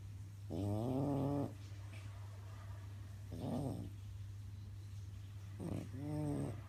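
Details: Sleeping French bulldog snoring, three buzzy, tonal snores spaced a couple of seconds apart, the first longest and loudest, the middle one short and rough, over a constant low background hum.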